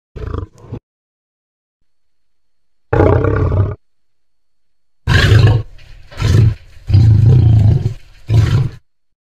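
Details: A lion with his lioness while mating; deep, rough roaring growls come in short bursts of about a second, the first few separated by silent pauses and the later ones closer together, with strong low rumbling tones throughout.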